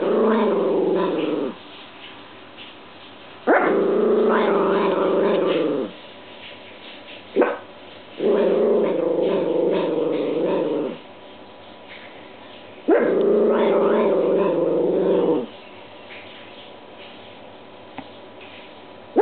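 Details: Indoor pet dog grumbling at a washing machine whose dry cycle spins oddly; four drawn-out throaty growls of two to three seconds each, separated by quiet gaps, with one short bark between.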